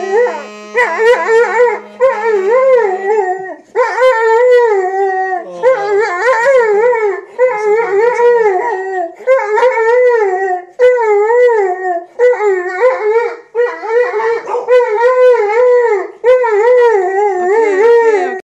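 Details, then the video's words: Pet Mastiff howling along while a saxophone is played nearby; long wavering, wobbling howls in repeated phrases of one to two seconds with brief pauses, mixed with the saxophone's tones. "Singing Mastiff"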